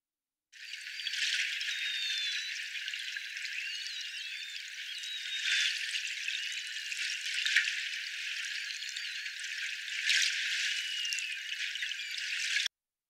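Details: A North Atlantic bottlenose whale gives narrow-band odontocete whistles (about 2–10 kHz): thin, high tones that bend and glide over a steady crackling hiss.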